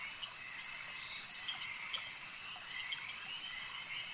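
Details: Frogs calling at a lake, a dense overlapping chorus of high, rasping notes pulsing irregularly over a steady, shrill background hum, with no other clear sounds.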